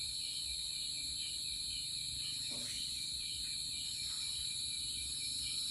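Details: Crickets singing in a steady, continuous high-pitched trill with several layered bands of shrill chirring, unbroken throughout, over a faint low background rumble.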